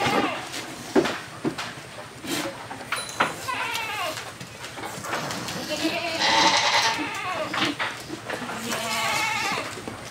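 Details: Black male goat kept for breeding on a farm, bleating among other goats; wavering bleats rise and fall in pitch, mixed with clatter, thumps and background voices.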